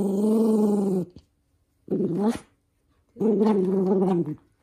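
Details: Angry toy poodle, a young male, indoors, protesting while socks are put on; three sustained buzzy growls, the middle one shorter and more ragged, with brief quiet gaps between them.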